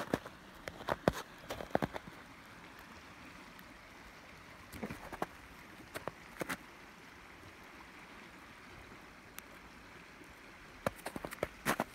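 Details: Steady low rush of flowing water with scattered sharp clicks and knocks, and no animal voice.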